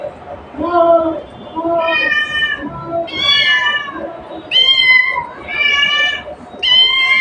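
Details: A cat calling its mother: a series of loud, harmonic meows, each under a second long, some rising and some falling in pitch, repeated roughly every second with short gaps between them.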